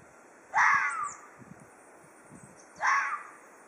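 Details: An Ezo red fox threatening with a pair of coarse, drawn-out screeches that swoop slightly downward, separated by a quiet stretch of about two seconds with faint low thumps.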